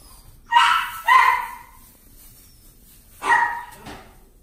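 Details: A Scottish Fold kitten at a pet shop in Omihachiman, Japan, gives three short, clear meows, each dropping slightly in pitch.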